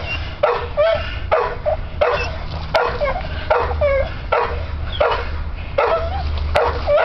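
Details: An American Bull Terrier working on a spring pole gives strained, rising whines and yips in short repeated bursts over a low rumble.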